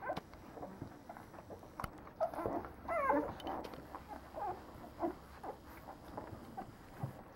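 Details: Leonberger puppies aged nine days, from a French kennel: a brief wavering whimper stands out among softer scattered squeaks and grunts, with light rustling throughout.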